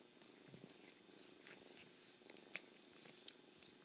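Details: Kitten purrs in a smooth continuous rumble while brief wet slurps and clicks pop up every second or so.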